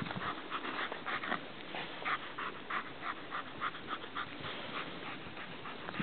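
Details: Juno, a German Shepherd keeping sheep in the graze on 1-11-11, pants hard in short rasping bursts, roughly three per second, the rhythm holding steady over constant background noise.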